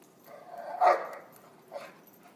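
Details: German Shepherd dogs and a Labrador, Lobo, Cesaer and Bo, playing in the snow; one rough, grumbling bark rises to a loud peak just before one second, followed by a shorter, softer yip near the end, over quiet background.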